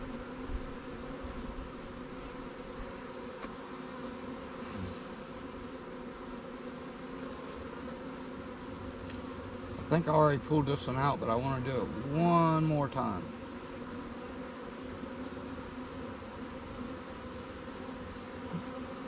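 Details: Honey bees at new Langstroth and Warre swarm hives give a constant background hum; midway a louder wavering whine rises and falls for about three seconds as a bee passes close.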